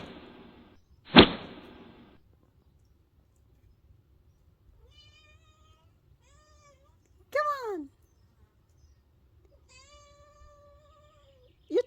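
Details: Wild cat, fed and trained over almost three years, gives a loud arching meow that falls in pitch. Later comes a long, steady, flat meow, then a short cry at the end. A sharp knock comes early, and a person encourages it between calls.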